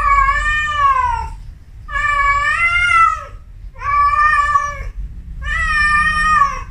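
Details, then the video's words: A Persian cat in her first heat gives long, drawn-out yowls, each wavering and falling slightly, repeated with short pauses. "SUARA KUCING BIRAHI PERTAMA KALI - YUK NGEPRANK KUCING / ANJINGMU"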